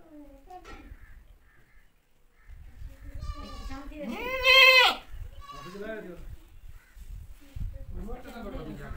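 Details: Goat; bleat; mother calling her kid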